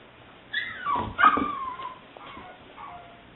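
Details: Seven-week-old female English Springer Spaniel puppy, liver and white tricolor, recorded 18 May 2009, giving a loud rising-then-falling whine that breaks into short yelping whimpers, followed by softer trailing whines.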